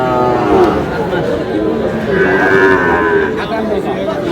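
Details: Sahiwal bull calves for sale at a livestock market, 19 May, with a Dhaka farmer buying: short, muffled moos rise out of steady crowd chatter and bargaining voices over several seconds.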